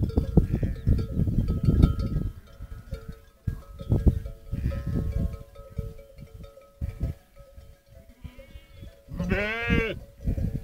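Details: Romanov sheep flock returning to camp at sunset on Boğalı plateau, Erbaa, Central Black Sea region, herded with Kangal dogs; a loud wavering harmonic bleat near the end over steady bell-like tones and low trampling rumble.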